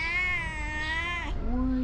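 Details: Female cat giving one long, steady, drawn-out meow of about 1.3 seconds with a rich harmonic tone, briefly bending at the end, followed by a shorter, lower, flat sound.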